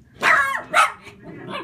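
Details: German Shepherd Sheba barking while guarding against fellow household German Shepherd Max: two quick, harsh barks less than a second apart, the first longer and falling, followed by a softer trailing vocal sound.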